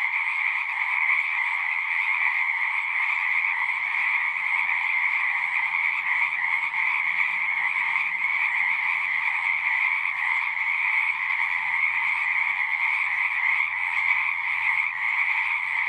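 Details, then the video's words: Many frogs singing together make a constant, shimmering trill at two steady pitches, even and unbroken for the whole stretch, over a faint low rumble that drifts in partway through. "One hour of singing frogs."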